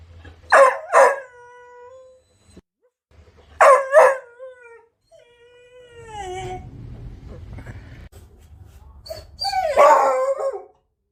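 A beagle gives sharp barks and drawn-out, falling whines with clear tonal harmonics.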